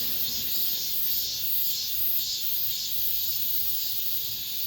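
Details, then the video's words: Late-summer cicada song inside an apartment complex, the final cicada sounds of the year: a continuous shrill hiss-like buzz, high and unbroken, with gentle pulsing surges in loudness about twice a second. "올 여름 마지막 매미소리"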